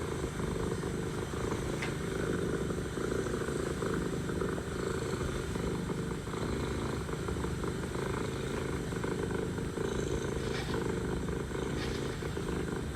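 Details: Long, unbroken rumbling purr of a mother cat talking to her kittens, a rapid even pulse holding steady from start to finish, with light scattered clicks above a constant low hum.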